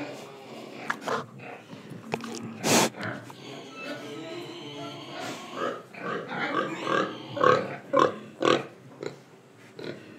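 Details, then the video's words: Pig in Indonesia, breathing and eating: a run of short broadband grunts and snorts, loudest and most clustered in the second half, with a sharp noisy burst near the start and some faint background sound. "Pig Sound Effects Oink Oink, Breathing & Eating"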